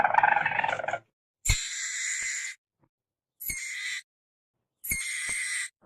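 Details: Weasel chattering briefly, then three separated hissing bursts, each about a second long, harsh and breathy with a sharp click at the onset, spaced by short silences.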